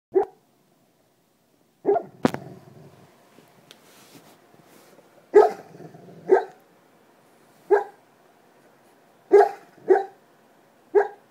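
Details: A black Labrador retriever gives soft, muffled barks in its sleep on an ordinary night, short diaphragm puffs at uneven intervals.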